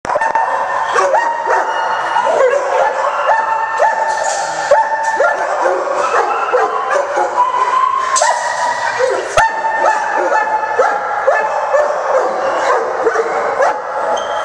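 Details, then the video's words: Several kennel dogs barking steadily as someone enters; loud, dense, overlapping barks repeating rapidly throughout, with a constant din of many voices and no pauses. "Entering A dogs Kennel"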